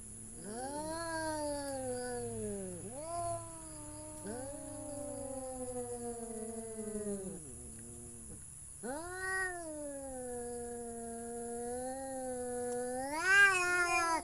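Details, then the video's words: Domestic cat giving long drawn-out meows, each several seconds, sliding slowly downward in pitch after a rising start, four calls with a rising final wail, over a constant high-pitched electronic whine. "The sound of cat"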